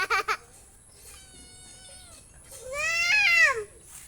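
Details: Domestic cat indoors giving a drawn-out meow: a steady, thin tonal note, then a louder wail that arches up and falls away over about a second. A few quick syllables of child speech come at the start.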